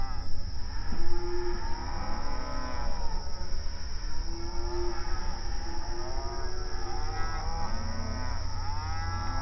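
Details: Grazing open range cattle mooing to each other in an outdoor pasture; a low steady moo early on, then a series of louder arching harmonic moos toward the end, over constant low rumble and a thin high tone.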